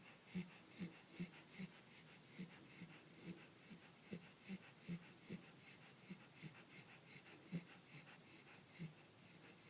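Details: Pembroke Welsh Corgi puppy Clementine, fast asleep, makes faint, quick snuffling snores, low and breathy, pulsing around two and a half times a second in a quiet space.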